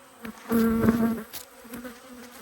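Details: Cross honey bees disturbed during an inspection of two hives in Australia, 5 March 2022: one loud, close buzz swells for about half a second over a fainter background hum.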